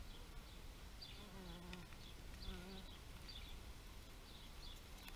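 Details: A bee buzzes past in two short bursts, a low droning hum with stacked overtones, over a steady low rumble of background noise while small birds chirp repeatedly in the distance.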